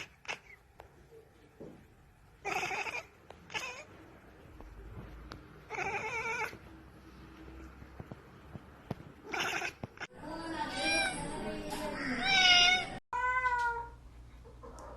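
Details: House cat yowling: after scattered thumps and rustles, a run of loud, wavering, strained meows rises and falls over several seconds, ending in two clipped, descending mews.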